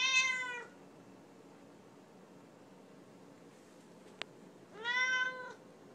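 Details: A talkative female Siamese cat kept indoors meows at her owner: one bright, harmonic-rich meow at the start, silence, then a second level, sustained meow about five seconds later.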